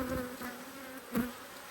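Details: Agitated honey bees, cross at a hive inspection in Australia on 5 March 2022: faint, steady droning hum with a higher overtone and one brief knock near the end.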